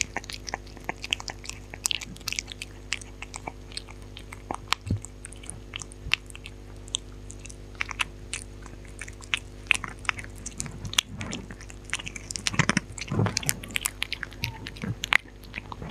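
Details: Close-up recording of a dog eating without talking, a long run of scattered chewing clicks and crunches, sparse at first and then denser and louder toward the end. A low steady hum sits in a quiet indoor room.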